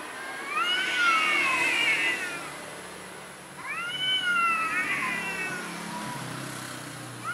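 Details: [1, 'yes', 'meow', 'Timid orange cat gives two long, drawn-out meows, each rising then sliding down in pitch with a bright harmonic tone, separated by a short pause; faint steady background hiss.']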